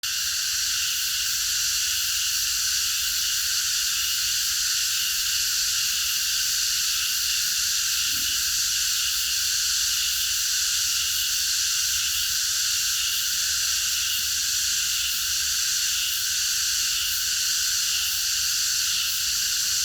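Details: Cicadas in chorus at night in a park: a dense, unbroken shrill drone in several stacked high bands, steady in loudness throughout, with a few faint low murmurs underneath.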